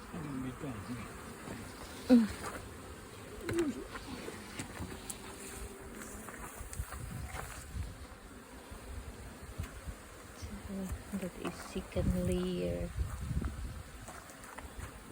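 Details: Honey bees from a kept colony swarming while two queens divide it; a low buzzing hum rises and falls, with close passing bees around two and twelve seconds and human voices at times.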